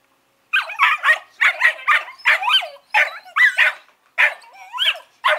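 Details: Collie pups, 11 weeks old, named Norris and Amica, chatter in paired and tripled yapping barks, high and raspy, with short whiny rising squeals between groups, after a half second of silence.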